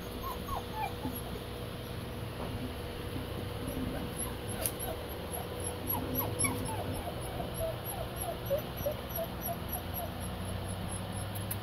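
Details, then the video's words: Six-week-old German Shepherd puppies giving many faint, thin squeaky whimpers, short rising-and-falling peeps scattered steadily through the stretch over a constant low background hum. "German shepherd pups 6wks"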